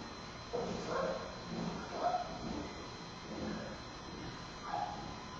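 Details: Giant panda cub Bei Bei fussing at the Smithsonian's National Zoo on a Friday afternoon, 10-9-2015, during a nursing session with his mother Mei Xiang. Soft, short whimpering squeals come in separate bursts over a quiet, steady hum.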